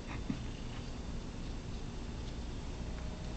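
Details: Pet cat wanting to be petted during a recording session indoors; a low, steady rumbling purr continues throughout, with a short soft squeak near the start.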